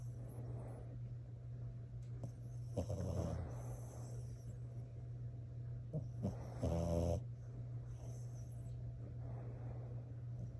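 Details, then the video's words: Sleeping French Bulldog snoring with her eyes open, giving rough, low snorting breaths, a few louder and more rattling, over a constant low background hum. "Snoring French Bulldog"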